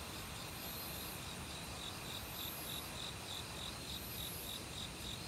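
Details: Crickets in an autumn forest, among other insects, repeat high, soft, pulsed chirps at a steady quick pace across the clip, over a dense rushing murmur of stream water and a continuous shrill insect hum.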